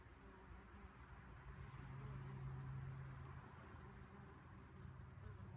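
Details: Bees visiting blooming artichoke flowers left to flower in a garden: a low continuous buzzing hum that swells in the middle seconds and then eases, over soft background noise.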